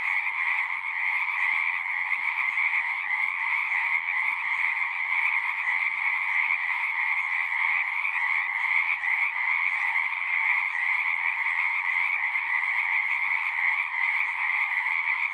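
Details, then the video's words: A pond in a horse pasture full of frogs calling at once, recorded on a Zoom 6: a constant, pulsing chorus of high trills without pauses, steady volume across the whole stretch. "Frogs singing"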